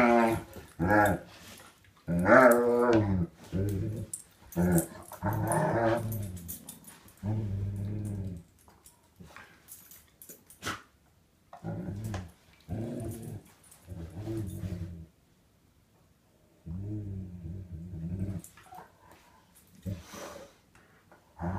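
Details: Morning mouth play between an Alaskan Malamute/German Shepherd mix and a canine companion: short, throaty growls and rising grumbly whines come in quick bursts, loud at first, then softer and more spaced toward the end.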